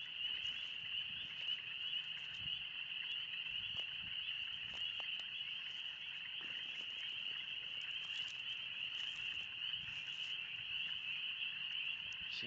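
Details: Spring peepers calling en masse in the Oxford Woods as the first 20-degree spring weather arrives, a dense ringing high-pitched chorus of countless overlapping peeps, with faint soft rustles and clicks.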